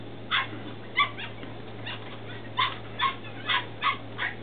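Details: Litter of Belgian Malinois puppies, 10 weeks old, Williston, Florida, April 2015, uttering short high yaps and whimpering yips spaced irregularly, about one every half second later on, against steady hiss and hum.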